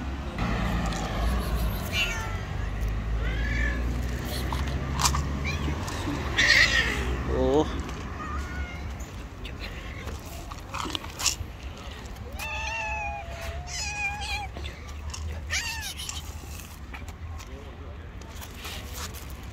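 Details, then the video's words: Stray street cats, an angry white cat and a rival angry tabby, in a fight: long, low, wavering growl-yowls open the scene, a harsh noisy burst follows, then shorter rising and falling cries over steady outdoor background noise. "Angry White Cat gets slapped by another rival Angry Tabby Cat."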